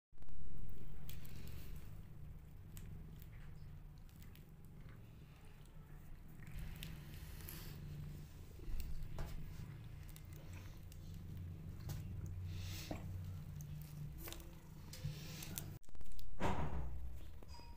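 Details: Stray cat that regularly visits her new friends, purring with a low, continuous rumble throughout. Soft rustles and taps are scattered over it, with a brief louder knock and handling noise near the end.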